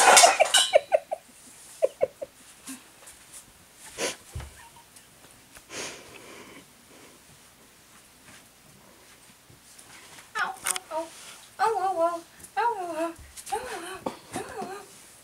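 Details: Cairn terrier puppies at play: scattered scuffling and short yelps early on, then a run of wavering, tonal whines or play growls, each lasting about half a second, repeated in quick succession near the end.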